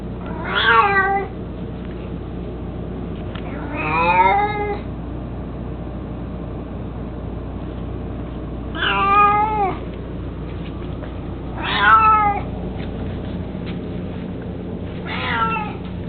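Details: An 18-year-old male pet cat, mostly blind and chubby, that loves carrying his toy mouse, gives five drawn-out, harmonic meows spaced a few seconds apart, some rising then falling, with a steady low indoor hum between them.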